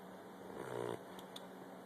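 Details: Tuck, a 12-week-old Olde English Bulldogge puppy, napping hard and snoring: one rough, buzzy snore swells for about half a second, then fades into quiet breathing in a small indoor room.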